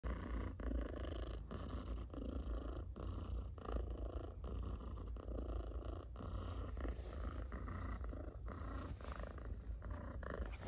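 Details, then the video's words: Domestic cat purring loudly while being petted; a steady low rumbling drone, continuous throughout, with faint rhythmic breath pulses and occasional soft clicks from handling. "Cat Purrs Loudly While Being Petted"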